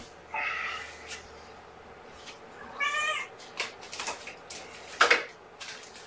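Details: Feeding-time kittens from an April 14th litter, indoors on the morning of 1 May 2018: two bright, buzzy, harmonic meows in the first half, then scattered clattering and handling knocks.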